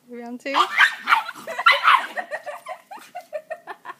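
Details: Dog meeting another dog, Frijol and Jody getting acquainted: a brief high whine, then a burst of excited yelps and barks, followed by a run of short, evenly spaced yips fading out.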